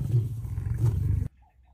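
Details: A female lion gives a deep, rumbling roar that cuts off abruptly after a second.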